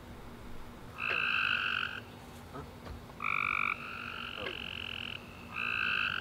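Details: Several tree frogs singing at night after a rainy summer day, their loud buzzy trills overlapping into long runs of nearly two seconds, broken by short pauses and faint soft clicks.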